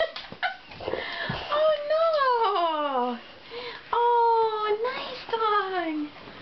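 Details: Bubba, a 2½-year-old Johnson American Bulldog, whines indoors on receiving a big stuffed animal as a Christmas gift. Several drawn-out, high tonal whines slide downward in pitch, with short breaks and a brief clatter between them.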